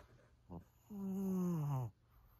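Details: Senior fawn Pug Maria, a thirteen-year-old female in Japan, gives a brief soft snort followed by a single buzzing snore of about one second that slides slightly downward in pitch, inside a quiet room.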